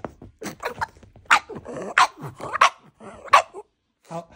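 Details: Pug; bark; demanding treats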